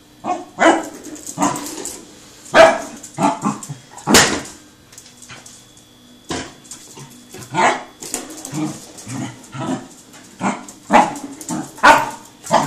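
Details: Seven-month-old male Pembroke Welsh Corgi chasing a rolling tin can, giving scattered sharp barks mixed with clattering of the can, human laughter and talk throughout.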